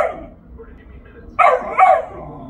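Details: Pet dog Bo barks at his toy box, two loud clipped barks close together near the end, after a stretch of faint room noise and soft voices.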